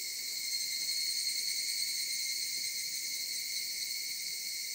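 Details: Cicadas heard from the mountains, a continuous, steady high-pitched buzzing drone with layered shrill bands, unbroken throughout.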